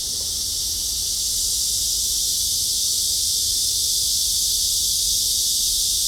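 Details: Cicadas fill the air with a very loud, steady, high-pitched buzzing chorus that never pauses, near the end of summer 2023 at a library garden in Hanbat, South Korea.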